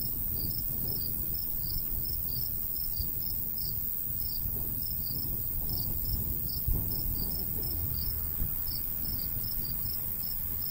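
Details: Summertime crickets beside a golden wheat field in the countryside: brief, sharp, high-pitched chirps pulse steadily and evenly throughout, with a soft low wind rumble and one faint knock underneath.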